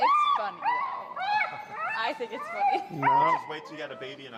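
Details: An extremely vocal dog named Finn during recall training with an e-collar. It gives sustained, wavering high whines, some rising and falling, almost without pause, with a person's voice talking over them.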